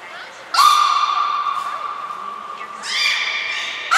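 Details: Beluga in training at Port of Nagoya Public Aquarium, 11 January 2021, with Nana, Mirai and Niko: a long, steady, harmonic tone starts abruptly, then a second rich, buzzy note swells near the end, in an indoor hall.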